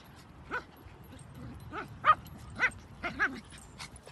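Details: Dachshund playing at a park, giving short, sharp yipping barks with bright harmonic tones, about six barks spaced irregularly across four seconds, the loudest near the middle, over a quiet background of faint outdoor noise.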